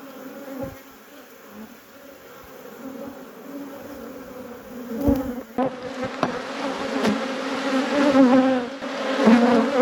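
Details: Apiary honey bees humming steadily while a hive is inspected. The drone gets louder and busier in the second half, with scattered clicks and knocks from the handling.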